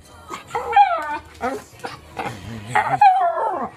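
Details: A pet Miniature Schnauzer, eager for its walk, mixes falling whines with short yelping, bark-like bursts, the pleading sounds coming in quick, uneven succession.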